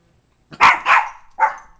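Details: Small dog, a Mini Bull or Toy Fox Terrier kept as a pet, barking indoors: three sharp, loud barks in quick succession, the last one slightly apart, with quiet surroundings.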